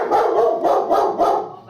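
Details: German Shepherd barking in reaction to mailman and UPS or FedEx delivery drivers: a rapid run of about five loud, harsh barks in under two seconds.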